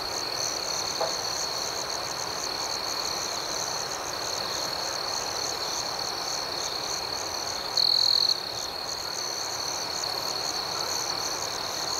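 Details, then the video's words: Crickets chirping at night in a dense, steady chorus: a continuous high shrill trill with quick pulsing overtones above it, unbroken throughout, with a faint hiss of outdoor background. "Soothing Cricket Sounds"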